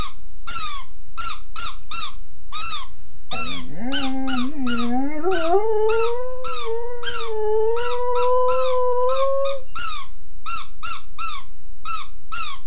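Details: Puppy wanting its toy howls for about six seconds, starting low and wobbling, then climbing steadily into a long sustained whine, surrounded by music full of regular high chirping bursts.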